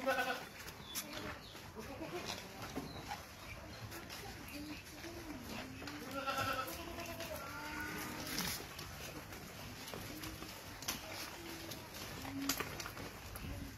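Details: Farmed Boer goats kept for meat at a goat farm in Gazipur near Dhaka, Bangladesh, giving a few scattered quavering bleats amid constant background noise, clatter and people talking.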